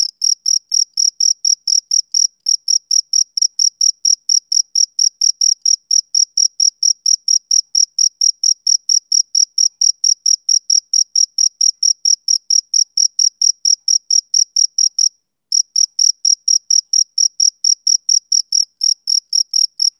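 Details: Male cricket chirping on a summer evening: high, clean pulses repeated steadily about twice a second, with one brief pause near the end of the run. No other sounds are present.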